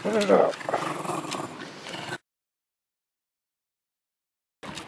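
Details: Jack Russell terrier named Louie growling while playing tug with a rope. A low, rough, rumbling growl fills the first two seconds, mixed with a person talking to the dog. A stretch of silence follows.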